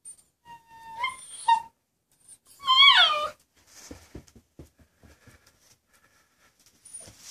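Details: Maya, a female Husky puppy aged 10 weeks, kept home from the dog park while Dex is away. She gives short high whimpers and yelps, then a brief rising-falling wail, followed by soft clicking and tapping sounds indoors.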